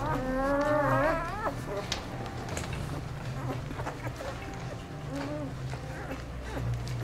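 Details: Dog, Aiki, a mother with her ten four-day-old puppies, grooming them on Mother's Day, 12 May 2013; one drawn-out tonal whine, level then sharply rising near one second, later fainter short squeaks, over a steady low hum.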